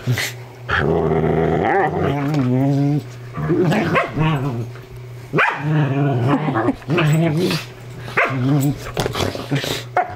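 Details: Willow, a sheltie, and Jade, a Dingo Ridgeback, in their nightly horse play; drawn-out rumbling growls with wobbling harmonics, broken by sharp yips and snaps, separated by brief pauses over a constant low hum.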